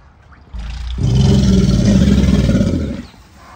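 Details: American alligator bellowing in mating season, a deep low roar with pulsing harmonic rumble that swells after a soft onset, holds loud for about two seconds, then fades.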